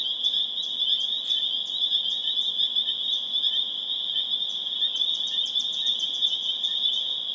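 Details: Spring peepers in full chorus in Harvard, Massachusetts on April 27, 2011, a shrill continuous high drone topped by rapid, sharp, clicking peeps in short bursts.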